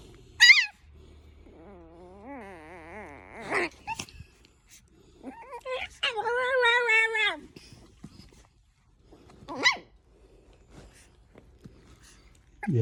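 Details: Qiao Qiao, a female Merle Chihuahua puppy at 4 months old, newly brought home, makes two drawn-out, wavering whine-like vocalizations with a sharp squeak at the start and brief yelps between them, while a woman speaks softly nearby.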